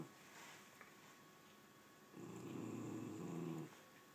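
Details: Indoor bed dispute between dogs Nugget, a rat terrier, and Mako, an American Staffordshire terrier: after a quiet stretch, one sustained deep rumbling growl lasting about a second and a half, faint room noise behind.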